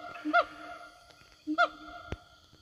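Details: Siamangs roaming a forest, answering one another as they call to their companions: two short pairs of notes, each a low hoot followed by a brighter, ringing bark, over a steady high insect drone.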